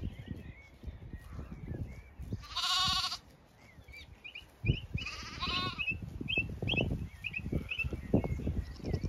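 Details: Grazing Zwartbles flock in County Kilkenny, Ireland, late afternoon on a regenerative pasture farm: two loud, shaky bleats a few seconds apart, with steady bird twitters and footsteps through grass.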